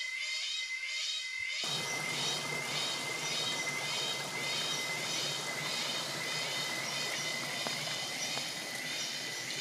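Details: Cicadas in the jungle of Palawan, Philippines, fill the morning with a dense, shrill chorus that pulses in quick waves over a steady whine.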